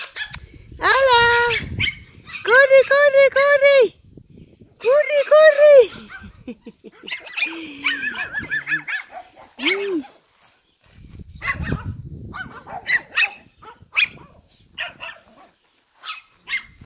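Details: Shih Tzu male puppies, American line, born 4 March 2018, raised in a family home in Spain, giving bursts of high wavering whining yelps with a few short barks, separated by pauses and faint background noises.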